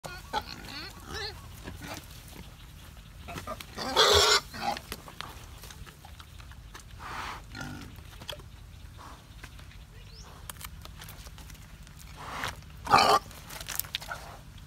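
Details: Wild boar foraging for food in the wild grunt and squeal in short, rough bursts, with two loud squeals standing out. Quieter snuffles and rustling fill the gaps between calls.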